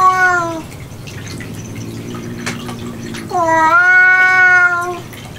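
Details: House cat indoors in a cat room where a cat ate kitten food again and again within ninety minutes. Two clear, loud meows, the second longer and slightly falling, separated by a low droning hum and faint clicks.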